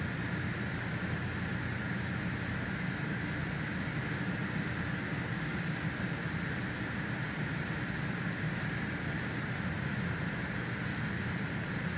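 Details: Constant broadband hiss and engine-like vehicle rumble at Big Cat Rescue, with no animal call.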